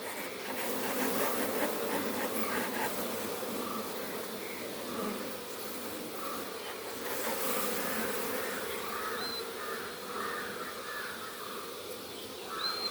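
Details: Many honey bees humming at an open hive on a Kerala beekeeping farm while honey is harvested; a continuous, thick, droning buzz holds throughout, swelling and easing slightly, with scattered brief higher chirps and clicks over the top.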